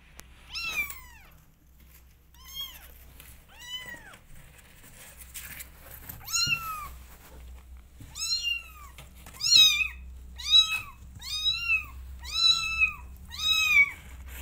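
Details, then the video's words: Kittens meowing to go outside, eager to explore: a run of high, thin, arched mews, sparse at first, then coming about once a second in the second half, each rising and falling, with a faint low hum underneath. "Adorable Kittens Wants To Explore The World They Are Meowing To Go Outside"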